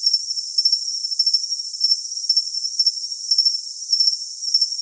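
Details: High, pulsed cricket chirps in little bursts, roughly one or two a second and slightly irregular, riding on a constant thin hiss, recorded as tinnitus masking sound.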